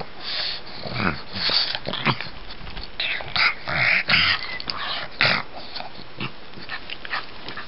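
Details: Gus, a pet pug, playing like a cat, gives bursts of raspy, wheezing snorts and huffs with short growly breaths, broken by brief pauses; faint speech in the background.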